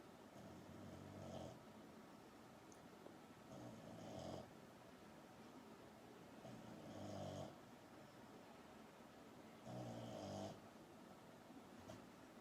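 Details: Deeply sleeping female French Bulldog named Pukka snoring: four raspy, gurgling snore bursts spaced roughly every three seconds, each about half a second to a second long, over a faint constant background hum indoors.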